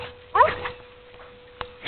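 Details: Domestic dogs playing together, one giving a single short, rising-then-falling yelp, followed by faint thumps and a steady electrical hum.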